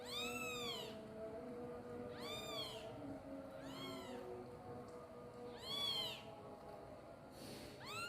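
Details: Kitten calling loudly for mom while pooping: five or so short arched meows, thin and high, rising and falling, set against constant background noise and low hum, with a brief hiss-like burst near the end.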